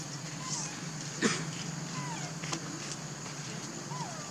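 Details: Baby monkey calling its mother for milk, giving short tonal coos that rise and fall, three or four spaced about a second apart, over a steady low hum with one sharp knock.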